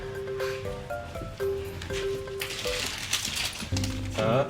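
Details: Plucked, tuneful background music plays with a voice talking over it and some clinking and rustling; no animal voice stands out.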